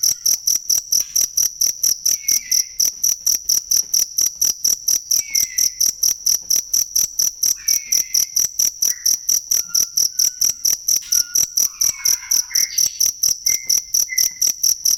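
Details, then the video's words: Cricket recorded for tutoring songbirds: loud high-pitched chirps pulsing steadily about twice a second for fifteen seconds, with faint, brief whistled bird notes in the background. "ASLI SUARA JANGKRIK BUAT MASTERAN BURUNG"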